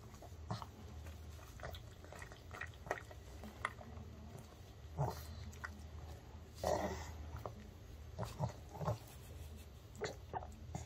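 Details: Male pug finishing a homemade fried and seasoned chicken treat indoors: scattered crisp bites and moist chewing clicks repeated every second or so, with low snorting breaths underneath; a woman speaks softly as the last pieces go.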